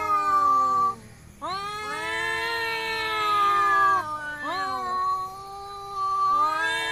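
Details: Two village cats fighting and resting, loud sustained yowling that swells and dips in pitch, broken by a short pause, then a rising wail and another long drawn cry near the end.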